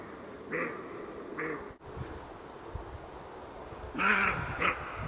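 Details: Roe deer uttering a few hoarse, clipped barks: two separated calls, then after a pause a louder, harsher pair, over faint low background noise.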